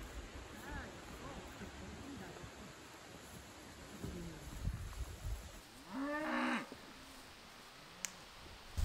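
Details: Highland cattle on a Swedish farm give deep, rumbling, drawn-out moos that rise and fall, ending in a louder harmonic-rich bellow. The herd is being moved through forest to join bulls for breeding, and they bellow on smelling an unfamiliar bull; faint background noise.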